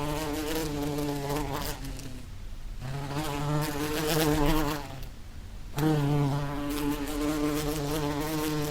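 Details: Buzzing bee in the wild, a low humming drone that fades twice as the insect moves off, then returns loud and steady.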